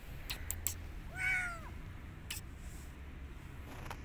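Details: Rescued kitten from the street, wanting to go outside again and not eating, lets out a single short arched meow amid scattered clicks and knocks against a low hum.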